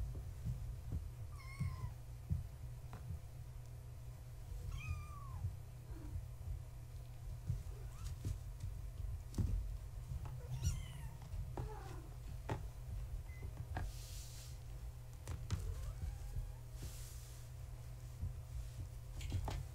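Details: Young kittens of the tabby cat Gaia, born March 14, 2017, awake at bedtime in the house while one tries to climb a fence: short high mews repeated every few seconds, with rustling, tapping and a low droning background.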